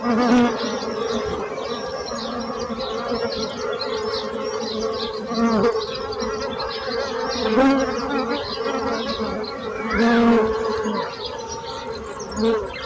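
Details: Loud droning hum of buzzing bees that swells and fades every couple of seconds as insects pass close, with faint bird chirps in the background.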